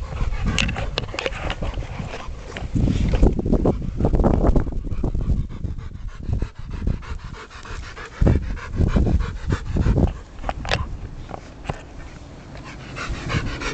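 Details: Aubrey von der Stark, a 10-week-old puppy, plays with a ball; quick rhythmic panting breaths run throughout, broken by heavy low thumps and knocks from the play.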